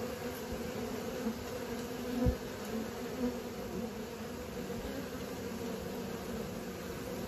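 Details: Steady hum of honey bees learning to fly: an unbroken, even drone with a couple of short dull thumps near the two- and three-second marks.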